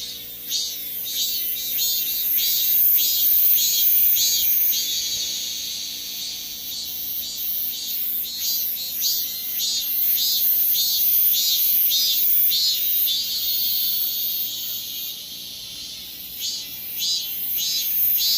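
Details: Korean cicadas in full chorus: loud, shrill pulsed buzzing repeated steadily almost twice a second, forming an unbroken high rattling wall of sound throughout.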